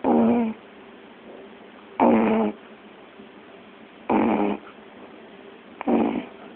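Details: Puppy asleep, giving four raspy, noisy snorts at uneven gaps of about one and a half to two seconds over a low, constant background hum.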